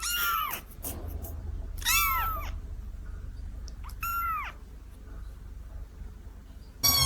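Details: A kitten gives three clear, high, rising-then-falling meows spaced about two seconds apart, with a faint low hum underneath and a sharp cry cut off at the end.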